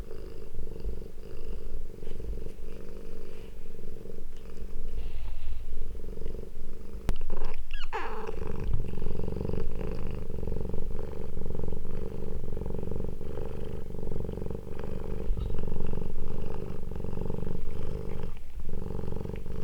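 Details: Domestic cat family reunited after two weeks apart, a steady low rumbling purr running nearly unbroken, with pulsing texture and a brief burst of broadband rustling around the middle.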